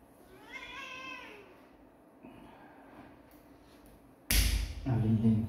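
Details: One kitten meow, slightly wavering and falling off at the end, followed by quiet room sounds. A sudden loud clatter comes near the end, then a person speaking.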